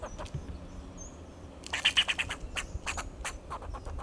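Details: In Del Monte Forest, California, a fox squirrel perched on a Monterey pine sounds alarm to defend itself and its territory: loud rapid series of harsh, broadband chucks, clustered in quick bursts, over quiet background with faint high whistling.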